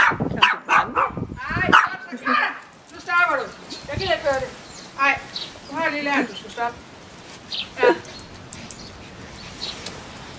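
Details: Bichon Frisé puppies from the V litter, crying in high, wavering, harmonic whines and yelps. Several overlap in quick bursts at first, then single cries come roughly once a second before fading into quiet.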